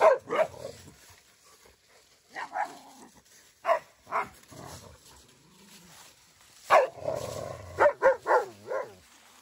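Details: Pet dogs at play, a German Shepherd named Odin and a Boxer named $amson with Bella, a rescued dog: short, harsh barks and growly yaps in bursts, a quick cluster at the start, scattered single barks, then a rapid run of four near the end.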